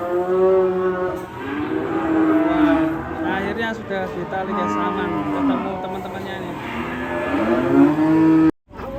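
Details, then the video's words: Raging cattle in Indonesia bellowing loudly: long harmonic moos that rise and fall, overlapping one another for most of the stretch, ending in a brief cut to silence. "KUMPULAN SAPI NGAMUK DURASI 1 JAM"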